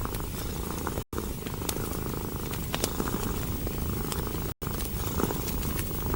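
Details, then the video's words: Steady rumbling purr from a cat curled up near the warmth of a fire. Firewood snaps and ticks sporadically, and two short silent gaps interrupt the sound. "Purring of a Cat & Fireplace"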